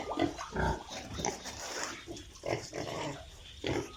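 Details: Piglets on a farm in Italy giving a few separate low grunts and snorts, spaced roughly a second apart, over soft background shuffling.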